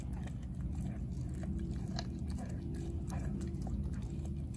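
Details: Four-month-old American Blue Bay Shepherd puppy Denali, female, biting into a raw turkey neck; dense bursts of crunching and gnawing with scattered louder cracks over a constant low room rumble.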